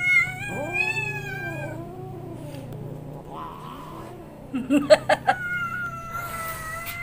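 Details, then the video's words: Angry mother cat with kittens, described as fierce, giving a long drawn-out rising and falling caterwaul and yowling growl, followed by sharp hissing spits near the end; a person speaks briefly. "Kucing ini emosi terlalu lama"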